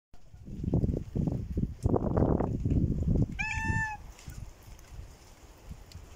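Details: Hungry stray cat visiting: a single short, clear meow, steady and slightly arched, about half a second long, follows several seconds of dull low thumping and rustling.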